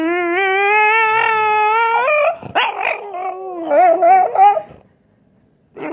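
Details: French Bulldog making racecar-like noises: a long, rich, steady whine that creeps upward in pitch, then breaks into a wavering, revving warble like an engine changing gears, before falling silent.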